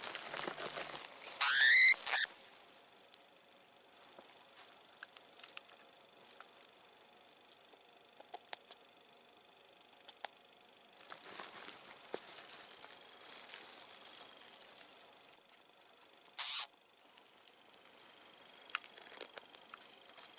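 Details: Winter white dwarf hamster (Phodopus sungorus), squeak.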